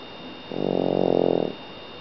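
A French bulldog gives one long, buzzy, rattling snore lasting about a second.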